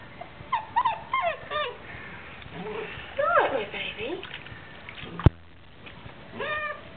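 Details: Basset Hound puppy, nine weeks old, whining during a bath indoors: short high whimpers in quick bursts, each rising then falling, heard early, again midway and near the end, with a sharp knock and splashing handling noise between.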